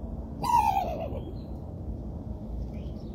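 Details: Raccoon barking: one short, harsh call that starts high and slides downward, with a layered, rough tone, followed by a low rumbling background.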